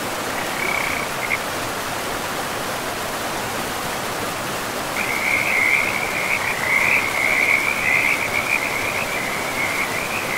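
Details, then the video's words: Frogs by a forest river: a brief trill, a pause, then a sustained stretch of rapid, rhythmic trilling calls, all over a continuous roar of rushing river water. "River and Frogs sleep sounds"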